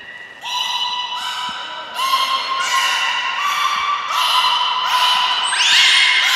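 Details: Training session for belugas Hodoi, Gray, Nana and Niko at Port of Nagoya Public Aquarium, 5 June 2021. Loud, rich harmonic whistles step through a series of held tones, each start sharp and repeated about every second, ending in a higher, rising squeal.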